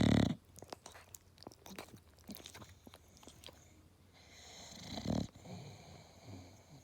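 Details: A napping English Bulldog snores in loud, rough, wheezy bursts, with quiet clicks and breathing in between.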